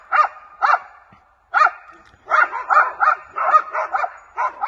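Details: Two 7-month-old West Siberian Laika hunting dogs bay in sharp, repeated barks, holding a maral (red deer) at bay.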